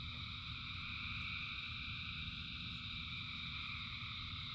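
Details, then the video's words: Huge numbers of frogs in rain produce a seamless, ringing chorus of layered high trills, unchanging throughout, over a dull low rumble. "Frogs in Rain 2 Hours of Frogs, Thousands of Frogs Singing"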